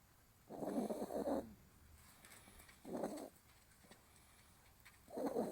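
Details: Pet dog named Riru snoring while asleep, recorded on 26 March; three soft rasping breath sounds, each about one second long and spaced roughly two seconds apart, over a quiet background.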